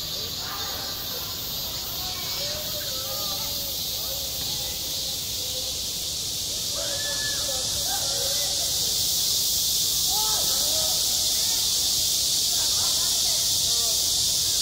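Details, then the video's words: Summer cicadas drone with a constant shrill buzz at a school playground, while children's voices call out clearly in bursts and the insect chorus swells louder toward the end. "한 여름 운동장에서 매미가 울고 있다 - 여름의 소리, 학교 종소리, 매미 울음소리"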